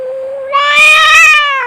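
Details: A brief, loud, strained yowl from a fighting cat, steady in pitch and rich in harmonics, rising slightly in intensity before tapering off.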